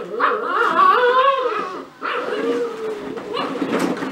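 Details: A cocker spaniel puppy from a B litter in a ball pit whines loudly and steadily, drawn-out wavering cries broken by brief pauses, with soft ball rustling underneath.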